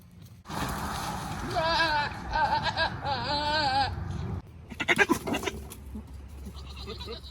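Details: Male Nigerian Dwarf goat on a ranch, controlling his herd: wavering, quavering screams lasting over two seconds, buried in heavy rustling and broadband noise, followed by a clattering burst of knocks.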